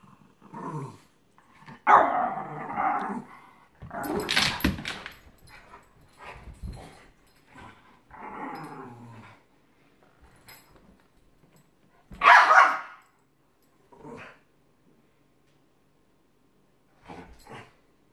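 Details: A Giant Schnauzer and a Miniature Schnauzer play boisterously, growling and giving short, rough barks in uneven bursts.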